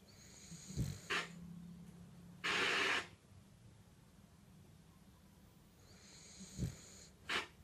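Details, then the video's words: A male French bulldog snores in rough, wheezy bursts, with a low rattle under each breath and long quiet gaps. "French bulldog snoring"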